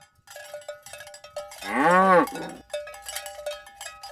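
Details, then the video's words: Morning herd of tame cows moving along village roads toward the pen; one arched, strongly harmonic moo of under a second sounds amid constant jangling cowbells. "Asmr Sapi Moo | Suara Moo"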